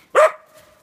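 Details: Dog playing in the snow gives a single sharp, loud bark with a brief tonal tail that fades quickly; background otherwise quiet.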